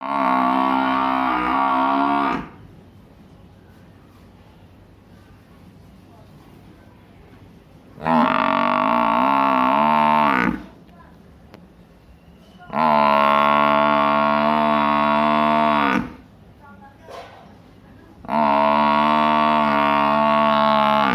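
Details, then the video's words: A big buffalo in a village gives long, loud, steady bellowing calls, each lasting about three to four seconds with short quiet gaps between them, and faint background noise in the pauses. "sound of big buffalo"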